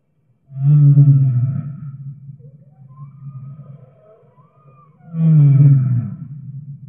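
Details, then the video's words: Whale singing in two loud, deep, groaning bursts with rough harmonics, separated by a quieter stretch of faint, wavering higher tones. "Whale Singing"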